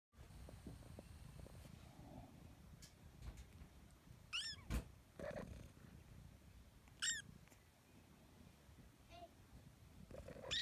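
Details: Five-week-old baby kitten meowing: three short, thin, high-pitched mews, each sliding down in pitch, spaced a few seconds apart over faint low rumbling and occasional clicks and handling noises.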